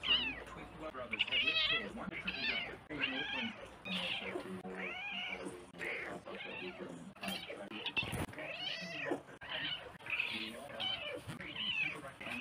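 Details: Domestic cats meowing: a dense run of many short, arching, nasal meows, one after another with little pause and differing in pitch, with a brief sharp thump partway through.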